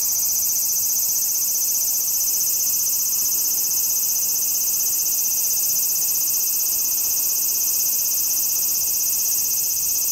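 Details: A large brown cicada in autumn squeezes out its last calls as one continuous, shrill, sizzling drone, unwavering throughout.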